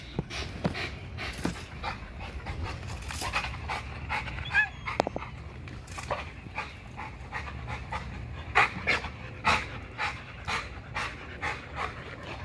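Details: XL American Bully pitbull on a spring pole, quick, irregular panting mixed with sharp clicks and knocks, the breaths coming in short uneven bursts.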